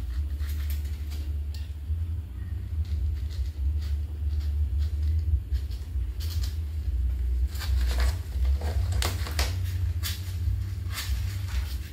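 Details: A steady low rumble fills the room, with scattered tapping and patter noises and no animal voice.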